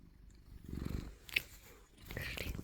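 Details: House cat woken from a nap, being offered food, gives two short bursts of low rumbling purring separated by a quieter gap, with a faint click and light rustling.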